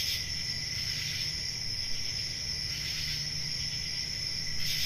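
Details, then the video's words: Summer-night crickets in the countryside keep up an unbroken shrill ringing trill, with gentle pulsing surges in loudness and a faint low background hum. "Relaxing Cricket Sounds For Sleeping | Ambient Summer Night Sounds"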